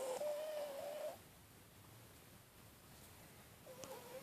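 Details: A snoring cat gives a thin, whistly nasal tone held steady for about a second. Near-silence follows for over two seconds, then the same whistle starts again.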